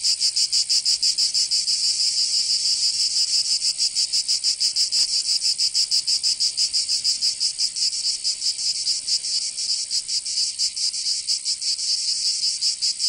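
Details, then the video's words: Cicadas singing in summer in Provence, southern France: a dense, shrill, high buzzing that throbs in uneven pulses, a little over one per second, with no other sounds. "Canto Cigarra 🦗 [ Escuchar les cigarras en verano"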